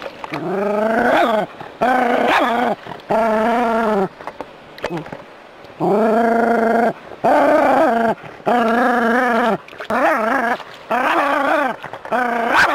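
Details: A Jack Russell Terrier, on a street walk, gives a run of drawn-out, strained barks, nearly one a second, at a non-venomous rat snake.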